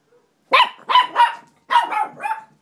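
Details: Chihuahua playing tug of war, giving five sharp, bright barks in two quick bunches with a short pause between them, in an otherwise quiet setting.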